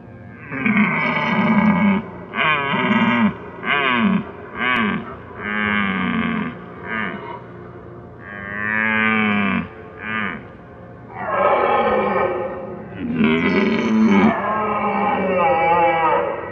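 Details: Red deer roaring, from a professional sound-effects library: deep, groaning harmonic roars delivered in a series of bouts, some short and choppy, others long and drawn out, separated by brief pauses.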